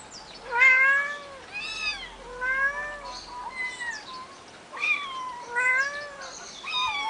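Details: Eight-week-old kittens, three of them, at a finca on 11 May 2011, mewing in a series of clear, harmonic-rich meows, some rising and falling, repeated about every second with short pauses.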